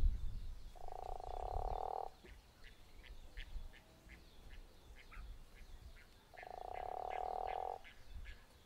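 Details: Guttural toad at Zeekoevlei: two drawn-out, grating snoring croaks several seconds apart, with faint quick ticking calls in between.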